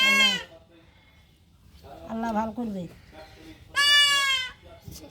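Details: Kid goat under castration: a short bleat opens, then muffled voices, then a second long, shrill, wavering bleat near the end.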